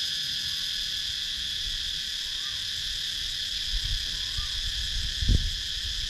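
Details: Steady, piercing drone of cicadas from the wooded countryside of Sakon Nakhon, Thailand, recorded with a GoPro Hero 9, with a few faint soft rising-falling notes and a low thump near the end.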